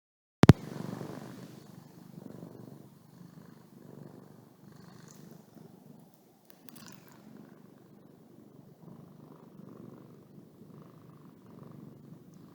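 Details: Domestic cat purring while yawning: after a sharp click at the start, a soft, low, rhythmic rumbling purr pulses steadily throughout, quiet and close.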